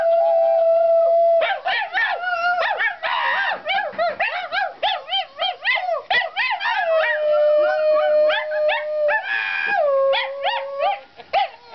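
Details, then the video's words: Domestic dog Sheeba howling along with a woman, Stacy, the pair wailing the blues together: long sustained tones sliding up and down, wavering and breaking into yelps, with steady held notes near the end. "dog woman howl"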